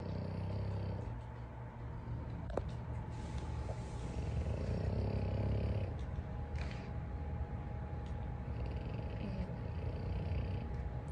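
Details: A French Bulldog snores at night with a low, continuous rumbling rattle.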